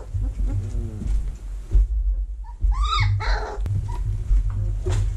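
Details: Young vizsla pups in a whelping box, early October 2020, during cleaning and vacuuming. Soft whines open the clip, then one louder, bent squeal near the middle is followed by a few fainter yelps, all over a constant low hum.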